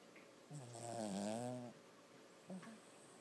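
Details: Toby, a six-month-old Lhasa Apso puppy, snoring while asleep and dreaming: one drawn-out harmonic snore lasting about a second, rising then falling in pitch, followed by a short soft snort.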